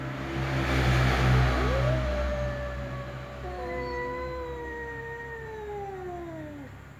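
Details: A ginger cat and a black cat give slow meows: one rising then level wail, followed by overlapping long meows that drift slowly downward, with a constant low background hum.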